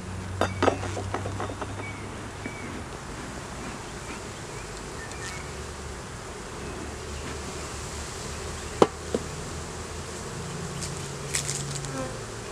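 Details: Hive inspection in a beeyard: honey bees from a colony with a laying queen, honey, capped brood and larvae, recorded on a Canon Rebel T6 DSLR. Low, wavering buzz with sharp clicks and knocks from handling the frames.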